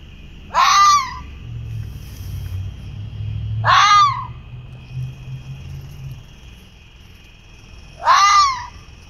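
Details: A small red fox sits on a roadside curb in Chippawa, near Niagara Falls, after crossing the road, giving three harsh, wailing screams, each brief and spaced several seconds apart.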